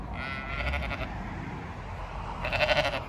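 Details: Sheep at a gate on a County Kilkenny farm in Ireland, wanting to be let through, call out two loud quavering bleats, one at the start and one near the end, with steady low background rumble between.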